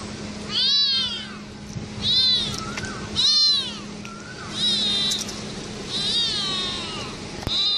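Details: Incessant meowing from cats: high, arching mews roughly every second and a half, several overlapping with one another, over a low background hum.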